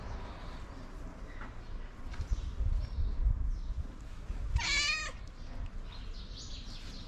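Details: Tabby cat calling loudly to bring other cats to food, giving one short, bright, high meow near the end, surrounded by low continuous background hum and faint scattered noises.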